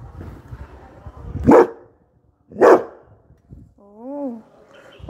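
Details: Labrador Retriever named Coco barking at people who arrived: two loud, sharp barks about a second apart, followed by a short wavering tone and faint background noise.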